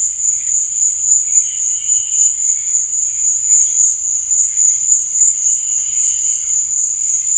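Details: Crickets at night, a steady high-pitched trill that runs unbroken through the clip, with fainter shimmering pulses beneath it.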